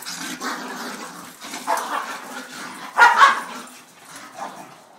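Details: Corgi Penny and beagle mix Duke play rough on a porch, trading growly grumbles that swell into a loud sharp bark near the middle, then a softer yip before fading.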